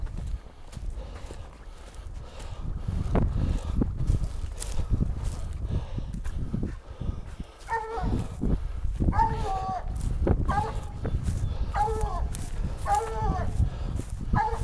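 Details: Black and Tan Coonhound Rambler at a den tree where a raccoon is treed; after several seconds of footsteps and handling noise, short ringing barks begin, repeated about every second alongside continued rustling.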